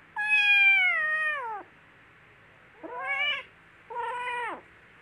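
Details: Little kittens playing and fighting, with a loud, long meow sliding gradually downward, then two shorter, higher mews rising and falling in quick succession.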